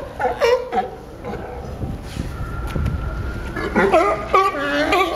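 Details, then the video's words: At Pier 39, Fisherman's Wharf, San Francisco, sea lions bark in throaty, harmonic bursts at the start and again toward the end, with a quieter stretch of murmuring background noise between. "Sea Lions making funny Sound"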